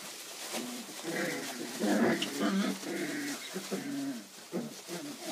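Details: Almost four-week-old puppy giving a run of short, tonal whimpers and squeaks that rise and fall, loosely repeated about twice a second, with soft background noise.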